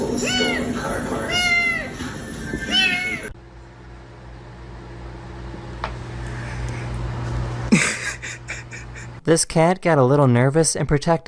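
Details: House cat uttering a run of short, arched meows in quick succession, then a quiet stretch of room noise, ending with a burst of human voices.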